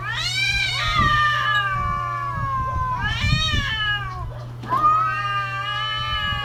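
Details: Caterwauling cats during the mating season give drawn-out, slightly quavering howls that swell and slide downward, three cries in quick succession with low thumps and a background hum.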